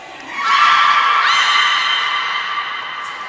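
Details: Captive beluga in training at Port of Nagoya Public Aquarium, Japan, 11 July 2020: one loud, nasal, harmonic squeal that swells, steps up slightly in pitch midway, then holds level and slowly fades.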